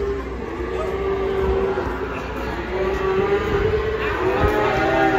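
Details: Agitated cow that ran off a truck into a roadside food stall, giving a long, drawn-out moaning moo that holds steady, breaks, then rises again, over people's excited voices and engine rumble.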